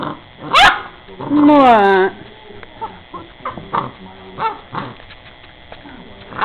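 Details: Rottweiler puppy facing an angry bird: one sharp, high yelp, then a drawn-out harmonic bark-whine that slides downward for about a second, followed by several shorter, softer yaps amid faint background hum.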